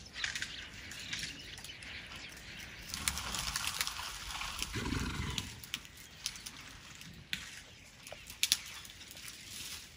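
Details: Elephants from a herd in Tarangire National Park, Tanzania, heard at night right outside a tent while eating tree limbs, their purring easily mistaken for a big cat. A deep, low rumble swells around the middle, under a dense wash of high insect and bird chatter.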